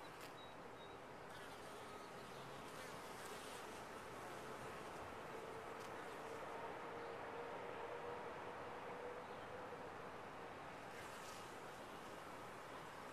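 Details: A top-bar hive of honey bees gives a constant dense buzz, an even droning hum with a few faint thin tones drifting above it.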